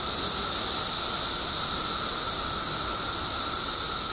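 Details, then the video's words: Illinois periodical cicadas, out in their billions after 17 years below ground, sing as one continuous high buzzing drone with a weaker lower band, level and unbroken across the short stretch. "Billions of Periodical Cicadas Emerge After 17 Years Underground Cicadas Making Noise Illinois State"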